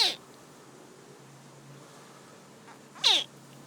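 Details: Baby crocodiles, about 20 cm long, give alarm calls to warn their mother of danger: two short, sharp, high chirps made by tightly contracting chest muscles, each dropping steeply in pitch, three seconds apart, over quiet background.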